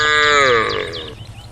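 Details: A cow among a group on a road beside the forest calls to the herd with a strong harmonic cry that slides gently downward and fades within a second, while high bird twitters sound in the background.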